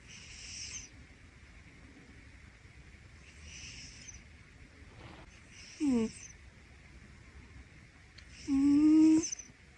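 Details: Pino, a rescued Scottish Fold cat, snores while asleep on his owner's upper arm in bed. Soft breathy snores come every few seconds. Two short, louder tonal, whistle-like notes with a low pitch appear near the middle and the end.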